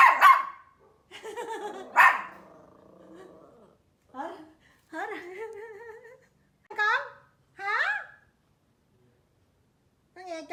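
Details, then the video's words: Small pet Pomeranian named Mimi, scared of loud noises such as thunder or firecrackers, reacting indoors: two sharp barks open, then harmonic yelping calls with falling tails, spaced irregularly among pauses. "Small Pomeranian vs Loud Noises"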